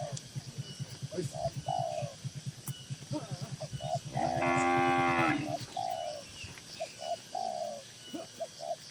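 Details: Cattle in a crowded livestock barn, one long harmonic moo around the middle of the clip over a rapid, regular low pulsing background and scattered short high chirps.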